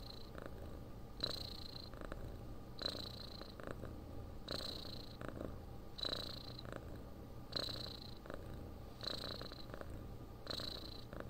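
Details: Cat purring as it sleeps, with a deep continuous rumble and a soft hissing inhale-exhale pulse repeating around forty times a minute, steady and unhurried.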